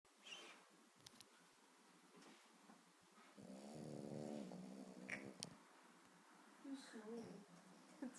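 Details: A sleeping female Boston Terrier, deeply unconscious, snores with a low, buzzy, rattling breath that keeps getting louder while a person speaks softly; owner jokes she is dreaming of squirrels.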